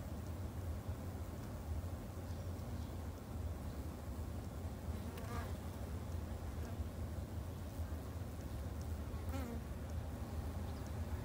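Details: Japanese honey bees at a backyard hive in Japan: an even, low humming drone throughout, with two brief wavering whines around the middle and end as single bees pass close.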